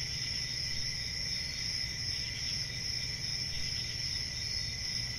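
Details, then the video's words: Crickets chirping in a dense, unbroken chorus, shrill high trills layered at several pitches, humming steadily without pauses over a soft low background rumble. "Cricket Sounds"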